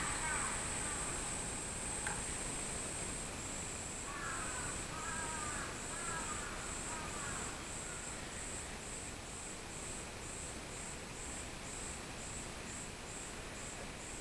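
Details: A min-min cicada sings a high, pulsing drone on 24 July 2016, with a crow cawing briefly.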